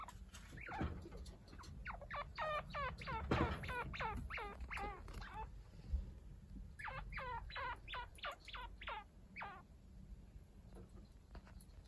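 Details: Chinchillas at home: week-old kits Haru and Ryo, now lively, tended by Kaito, a chinchilla unrelated to them. Short, high squeaky chirps fire in quick series, one cluster early and another after a pause, over a quiet room.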